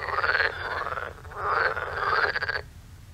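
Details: Frogs in the waterways around a farm croak at night in rapid rattling pulses, a half-second burst followed by a longer one over a second, above a low background hum.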